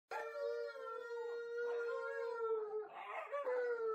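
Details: Two huskies howl together with another singing dog in long, sustained, slightly wavering tones.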